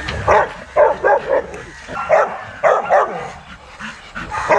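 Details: Young Rottweilers in a kennel exercise yard barking in short bursts, paired barks coming roughly every half second to a second, with faint rustling between them.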